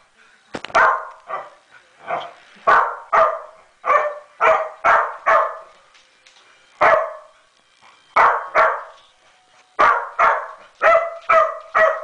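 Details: A Welsh Corgi watching a figure skating competition on TV barks sharply and repeatedly, the barks coming in quick bursts with brief pauses.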